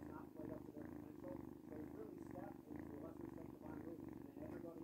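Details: A loud, close purr from a noisy cat: continuous low rumbling that rises and dips with each breath in a regular rhythm, strong and unbroken throughout.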